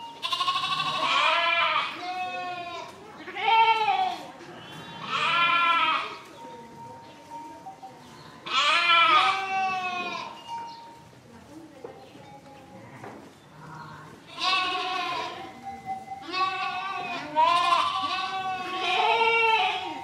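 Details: Sheep bleating in a long series of loud, wavering baas, about eight calls spread over twenty seconds, some overlapping as if from several animals, with quiet gaps and a faint steady tone between them.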